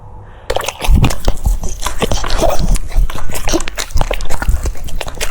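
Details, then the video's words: Cucumber being munched by a French Bulldog, a steady run of crisp crunches and smacking chews roughly several per second, indoors with no other clear sounds. "The sound of chewing cucumbers"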